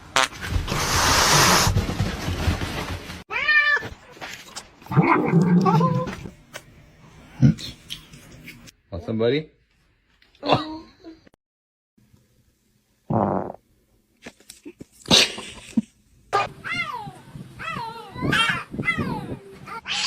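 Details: Pet cats indoors meowing repeatedly, a series of short and longer wavering meows scattered through the recording, some rising sharply, between loud thumps, rustling and occasional human voices.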